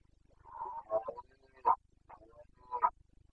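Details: Rutting Carpathian stag, a red deer of the Bucovina mountains, calling in the breeding season, 29 September 2022. Several short, hoarse, broken grunting roars of uneven length, with sharper bursts near the end, over a soft rhythmic low hum.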